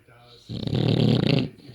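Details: A sleeping British bulldog, a rescue, snoring indoors: one loud, rasping, rumbling breath of about one second.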